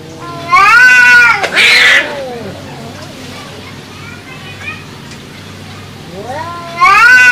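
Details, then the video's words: Domestic cats arguing: loud, drawn-out meows that rise then fall, a sharp hissing burst, then a quieter gap with faint low murmurs before another rising, wavering meow at the end. "The sound of cats arguing"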